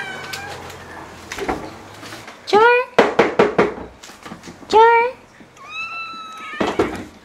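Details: Ragdoll cats in a Korean home with eleven Ragdolls give several short meows with stacked harmonics around 2.5, 4.8 and 5.8 seconds, mixed with clicks and a person's speech in a small indoor room.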